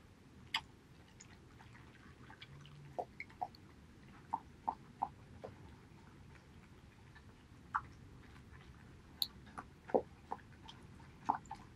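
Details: Male Border Collie Haedeun eats pollack soup on 2018-08-19. Scattered moist smacks and clicks of chewing come at irregular intervals, with short quiet gaps, and a faint low hum behind them.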